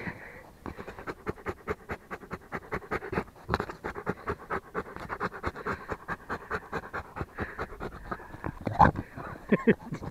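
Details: Rottweiler breathing in quick, breathy, irregular pulses, louder and softer puffs mixed, with a few sharper knocks near the end.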